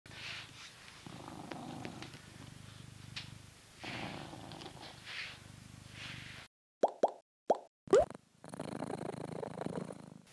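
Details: Coconut, a blue British Shorthair cat living in England, purrs while being brushed: a low, steady rumbling pulse with soft brushing strokes over it, then an abrupt cut to silence broken by a few sharp plopping clicks and a hiss of noise.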